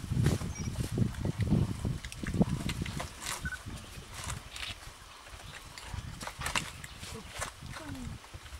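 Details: Pig in Cuba relishing a coconut: deep low grunts and crunchy chewing thuds come in a loose cluster early on, then thin out into quieter munching with occasional faint voices in the background.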